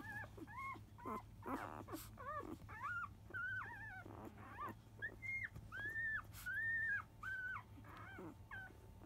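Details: Newborn field-type Labrador Retriever pup at five days, morning nursing time at 10 a.m.; irregular short squeaks early, then longer level whines in steady succession, with faint rustling beneath.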